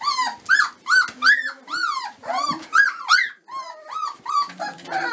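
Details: A litter of Dobermann puppies, 25 days old, giving loud, rhythmic high-pitched whines, each a short rising-then-falling squeal, about three per second, almost without pause.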